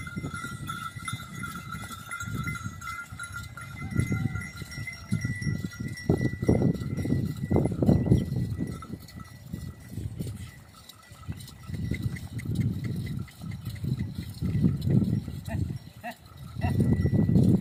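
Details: A herd of Kankrej cows walking to a nearby pond to drink lows in deep, drawn-out calls while bells ring steadily in the background.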